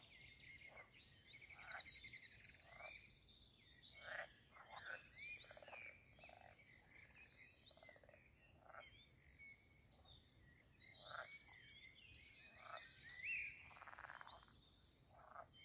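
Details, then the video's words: Frogs calling at a castle garden pond in Posterholt, Netherlands, during mating season; bursts of rasping croaks from several animals, irregular and overlapping, with a few high bird chirps and whistles. "Talking Frogs and other jungle sounds at the Pond"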